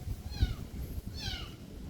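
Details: Kitten's voice: two thin, high meows about a second apart, each sliding downward in pitch, over a low steady background rumble.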